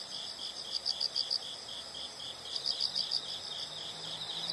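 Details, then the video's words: Insect sounds from a nature soundscape: quiet, high pulsed chirps in small clusters of four or five, repeated about every two seconds over a steady hiss of background noise. "the sound of insects"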